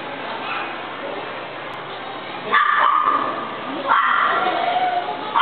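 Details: Golden retriever barking: after a muffled stretch, two loud harmonic barks land about one and a half seconds apart, each trailing off in a drawn-out, echoing tail.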